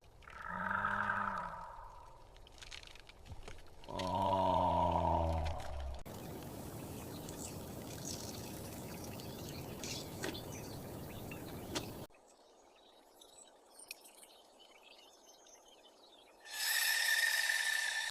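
Two deep, rumbling tiger roars with rich harmonics, followed by stretches of broad hissing noise.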